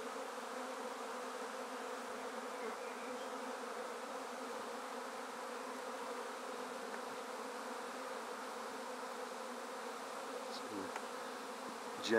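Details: Swarm of honey bees in a basket, taken directly from a tree, fanning while a top bar is eased in; long, level humming drone, ending with a few knocks from the wood.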